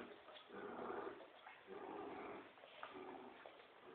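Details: A Poodle and a Dobermann at tug of war, dogs growling in play: throaty rumbling bursts of about a second each, close together, in a small indoor room.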